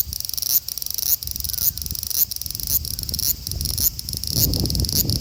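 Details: Large brown cicada (Graptopsaltria nigrofuscata), male, Osaka city, Japan, 5 August 2019, phone recording: high grating buzz chopped into uneven bursts roughly twice per second, with rustling and low background noise toward the end.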